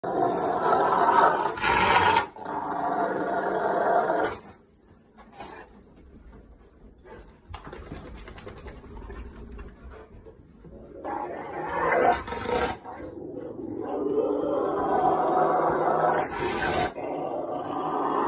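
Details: Bear, a pet Rottweiler who loves his towels, growls playfully for a towel, sounding vicious though happy. Rough rumbling growls come in long bursts, fade into a quieter stretch midway, then build again to a steady rasping rumble.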